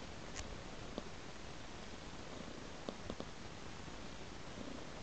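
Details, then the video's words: Purring domestic cat tracking a trail of raw meat; a constant low vibrating purr underlies several short sharp clicks or taps. "Purring Cat Follows a Trail of Raw Meat"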